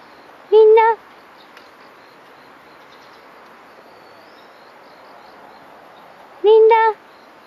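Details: A Dobermann aged two years four months, on alert at a wild fox cub beyond a fence, late morning of 14 October 2018, gives two loud, full barks about six seconds apart against a quiet background.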